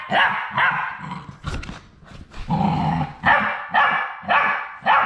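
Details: Labrador Retriever puppies, the final three on their last day at High Desert Labradors before going home, give short tonal whimpers and yelps about twice a second, with soft bumps and shuffling between calls.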